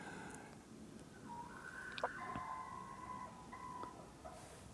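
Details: Jaba the cat, up on a high perch, makes a run of drawn-out tonal meows over about three seconds, broken into several segments, with small clicks and knocks in the background.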